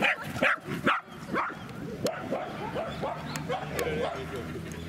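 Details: Corgi named Len, a dog who loves playing ball, at the Yoriichi Nanatsuboshi dog run in Matsuda, Japan, 28 April 2019: four sharp, quick barks in the first second and a half, then softer yips under background voices.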